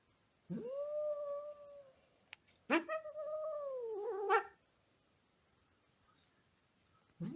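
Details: Pet cat calling indoors to wake his sleeping brother: two long, drawn-out, steady meows, the second longer and wavering before falling away at the end, with a short click between them in a quiet room.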